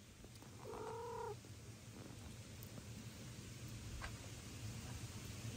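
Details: Domestic cats at feeding time: foster kittens Ginny and little Leo eating pate while daddy cat, indignant, begs to be fed too, with mommy cat Kira nearby. One short, level, harmonic meow early on, then steady low hum and faint clicks.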